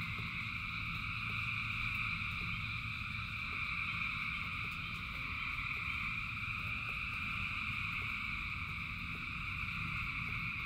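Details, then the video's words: Many frogs sing together during rain, their steady high chorus never pausing, with occasional brief clicks over a continuous low roar of falling rain. "Frogs in Rain 2 Hours of Frogs, Thousands of Frogs Singing"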